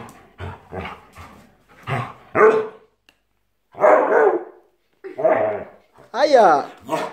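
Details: An aggressive Siberian Husky growls and grumbles in rough, drawn-out bursts over a pillow while a person talks to it in Italian, trying to calm it down.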